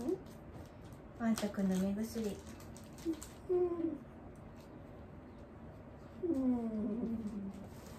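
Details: Senior dog Wanta, looked after at home by Kumiko Oba during a morning routine, lets out a few low, sagging groans separated by pauses, with quiet clicks and room noise between them.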